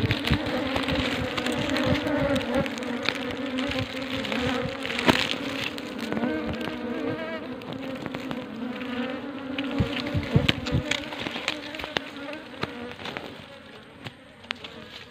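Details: A dense, steady hum of many honey bees nesting in more than ten comb layers inside a small deep hole in a coconut tree, with low droning tones and occasional louder buzzes.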